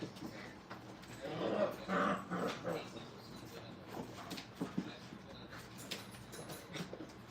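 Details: Brittany puppies at Hilltop kennel being crate and tunnel trained give short, uneven whimpering and whining yelps. A man talks over them amid steady room noise.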